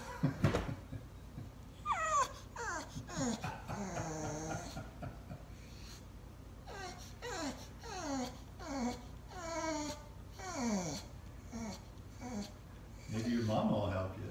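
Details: Dozer the bulldog crying indoors: a run of high, sliding whines and whimpers, many falling in pitch, in short bursts with brief pauses, and a few low grunts.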